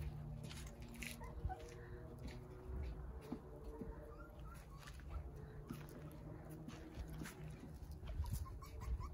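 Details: Jindo puppies, nine of them, sunbathing in a big playpen in the front yard, let out faint high whines among steady low background rumble and occasional clicks and knocks.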